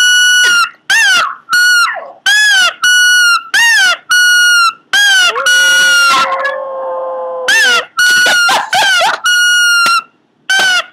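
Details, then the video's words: A Pomeranian squeals and whines in a run of high, harmonic-rich cries, some held steady, others bending down at the end. One longer, wavering moan sits in the middle, with short gaps between the calls. "cute pomeranian making weird noises"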